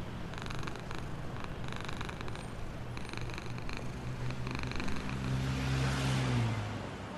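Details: Happy black homeless cat purring while being fed, living in a box near a store; soft low rumbling purr in pulsed bursts, with a deeper engine-like hum swelling toward the end.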